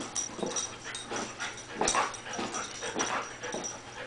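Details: Small dog, a female, eager to play with the cat, huffing and whining in quick wheezy puffs roughly every half second, one sharper squeak near the middle, against a quiet indoor hum.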